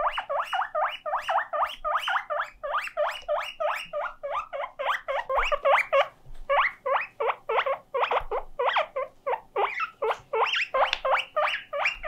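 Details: Pet guinea pig alone and lonely, calling nonstop: rapid repeated squeaky wheeks in quick clusters, short rising notes with brief pauses between bursts.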